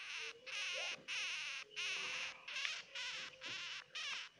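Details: High, rasping squeals of a crying baby hamster, about eight bursts in quick succession, each with a trembling, wavy pitch and short gaps of silence between them.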